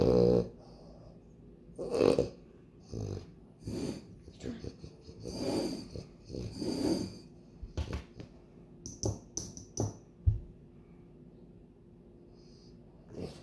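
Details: Loki, a French Bulldog, snorts and snores in short raspy bursts during a food taste-test challenge, breaths spaced irregularly every one to two seconds, with a person speaking and light handling noises around him.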